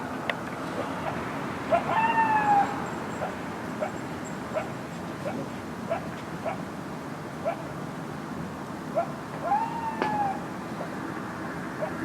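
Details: Coyotes at night, unusually close and loud, barking more than usual: short sharp barks scattered through the recording, plus two brief high wavering whines, over a constant hiss.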